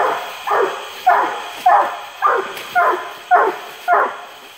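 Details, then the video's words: Treeing Walker Coonhound Wipeout Lucky Penny, a Zeb 3 pup, barking treed in a rain-swollen woodland swamp by Porter Bayou near Indianola, Mississippi, on a hot July 12, 2016: seven strong, rough barks about every 0.6 seconds, with steady insect buzz behind. "Trees in Swamp (Treeing Walker Coonhound)"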